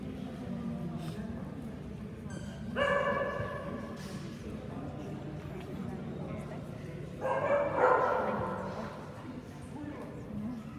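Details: Kerry Blue Terrier at the national breed championship show in Ekaterinburg, 3 December 2017; two bursts of loud barking, near the third and eighth seconds, over steady hall murmur and voices.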